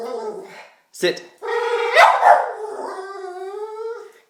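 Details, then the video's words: Diesel, a pet dog, makes weird bird-like noises when excited and anxious about getting a treat. Long harmonic whining tones hold steady and waver, broken by a short sharp yelp, while a person repeatedly says "sit" indoors. "Diesel making strange sounds"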